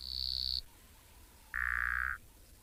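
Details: Boettger's caco frogs calling at sunset in light rain on a safari, identified by the naturalist, give rapid, buzzy clicking trains, one high-pitched and one lower, over a low hum.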